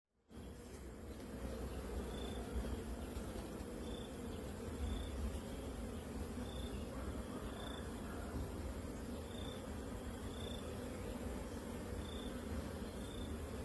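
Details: Kept farm honey bees, queen's colony, humming in a steady, dense low drone that holds unchanged throughout, with faint short high chirps repeating roughly every second above it.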